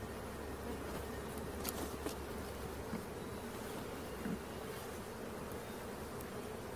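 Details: Swarming honey bees during capture near Christiana, Tennessee, droning in a constant, even hum of countless wings, with a few faint taps in the background.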